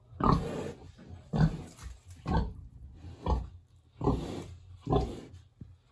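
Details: In a village on a warm autumn day, a hungry big pig in its pig house grunts steadily, low and gruff, roughly one grunt per second, six in a row.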